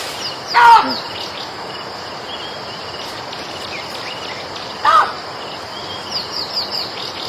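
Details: Monkey uttering two brief, sharp cries several seconds apart, with thin high chirps of small birds and a constant outdoor hiss behind.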